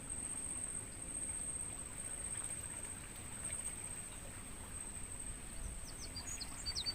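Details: Mangrove forest crickets, recorded as practice audio for songbirds, keep up a continuous shrill, high-pitched trill. A few thin, distant bird chirps appear near the end.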